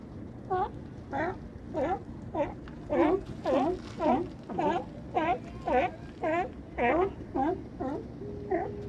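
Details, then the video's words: Harbor barking of California sea lions at Crescent City, near Battery Point lighthouse: loud, harsh honks repeated roughly every half second in a regular rhythm, with some gaps and a faint low background hum. "California Sea Lions at Cresent City harbor"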